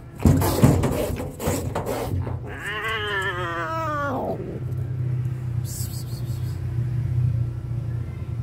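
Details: Hungry stray kitten attacked by a strong male cat; a long, wavering, drawn-out wail rising then sliding down over about two seconds, preceded by scuffling thumps, with low engine rumble throughout.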